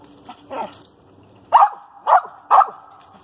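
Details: Treeing a squirrel, a female dog gives a softer bark and then three loud, sharp barks roughly half a second apart, with a low hum in the background.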